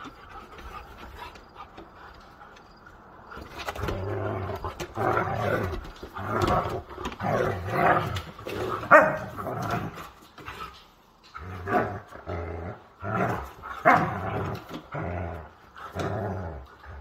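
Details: Pet Siberian Huskies wrestling roughly, the youngest of the pack among them: after a few quiet seconds, loud rasping growls and barky bursts come in rapid, irregular volleys, with brief pauses between.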